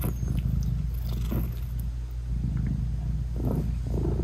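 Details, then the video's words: Close, steady low purr of a British Shorthair mother cat nursing her tiny newborn kittens, eyes still closed, with faint soft movement sounds; no music. "Cat Purring Meowing 🥰Sweet Mommy Cat Talking to her Cute Tiny Kittens 😘British Shorthair Cats"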